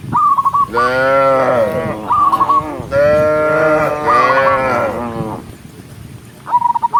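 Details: Dozens of tame cows herded along a forest road in a farm setting, several long, deep, drawn-out moos overlapping, with short, sharp, repeated chirping notes at the start and end.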